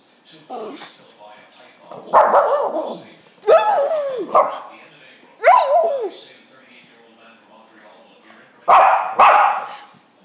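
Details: Shih Tzu howling and yipping in short bursts roughly every two seconds, each a wavering cry with a falling end, quiet gaps between.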